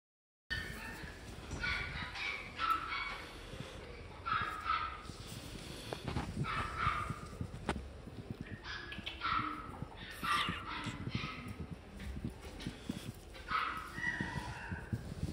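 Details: Shiba Inu dog at a pet shop in Fuji, giving short high yelping whines in bursts every two to three seconds, each with a clear tonal ring, over a low indoor hum and soft background clatter.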